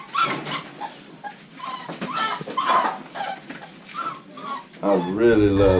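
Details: Young American Bully pups from the Royal Kennels Diesel x Mia litter give a run of brief high whimpers and yips, then a man's voice speaks over them near the end.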